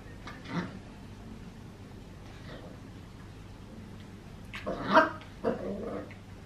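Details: Max, a Papillon puppy 14.5 weeks old, wanting to play with Tiger, a Maine Coon cat, indoors; a short bark early on, then a louder burst of sharp barks and growly noises near the end.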